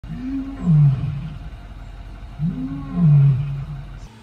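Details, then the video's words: Captive lion in an enclosure at a resort, pacing back and forth close to onlookers: two deep, groaning roars, each about a second long, swelling then falling, about two seconds apart, over a low rumbling background. "Listen to a Lion Up Close"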